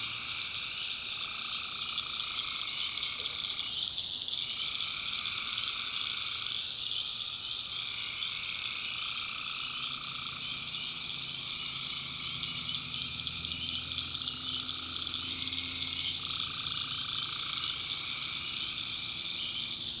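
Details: At night in a backwoods North Carolina swamp, a tree frog chorus drones in long stretches broken by short gaps every few seconds, over a continuous high cricket hum and faint low rumbling.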